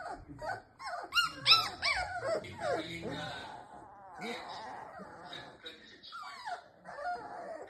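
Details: Presa Canario puppies coo and whimper in soft, high, wavering whines as they settle to sleep, cooing themselves to sleep, possibly because they are cold.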